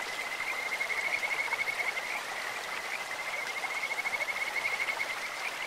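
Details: Kajika frogs calling in a stream: a steady, high, thin trill that runs almost without break across the clip, pulsing quickly, over a constant hiss of flowing water.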